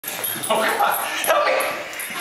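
A Basenji gives bursts of yodel-like, wavering yelps and whines, with human voices mixed in.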